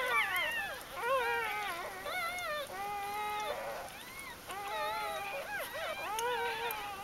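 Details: Several newborn puppies from Ari's G-litter, recorded over their first four days in October 2012, whine in steady, drawn-out wavering tones, some held flat, others arching up and down, with brief pauses between bursts.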